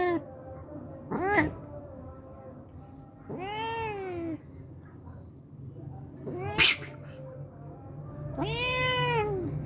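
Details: Hungry homeless cat coming each day for milk gives two arched meows among sharp clicks and knocks, with low background hum.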